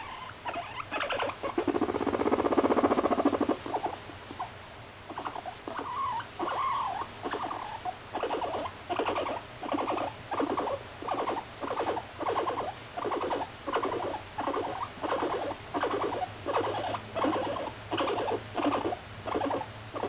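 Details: A female guinea pig kept as a pet. A muffled rumbling burst opens, then steady short buzzy pulses follow, repeating regularly a little more than once a second for the rest of the recording.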